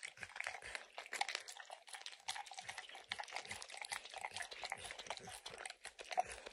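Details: An 8-year-old male Pit Bull licks peanut butter and kibble from a lick mat with steady, wet, smacking laps and an occasional crunch of kibble.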